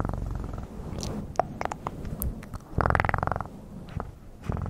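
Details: Domestic cat purring close to the microphone, a low, steady rumble that swells near the middle, broken by scattered sharp clicks and taps.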